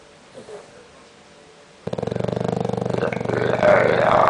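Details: Conrad, an English bulldog, sleeps and snores loudly: after nearly two seconds of quiet, a harsh, rattling snore kicks in, a fast fluttering buzz of rapid pulses that grows louder toward the end.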